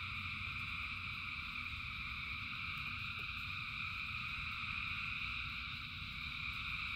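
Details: Frogs in rain: a thick, continuous wall of high-pitched trilling from a large chorus, steady in loudness throughout, with deep rain rumble underneath.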